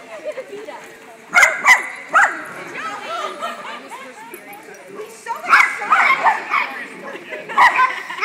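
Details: A dachshund at a playdate, recorded 1/30/10, gives sharp, high yapping barks in short bursts, with voices in the background.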